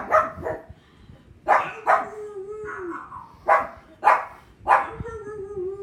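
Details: Pug named Thor barking at other dogs barking on TV: short sharp barks, mostly in pairs, in four bursts, with drawn-out wavering whine-like tones between them.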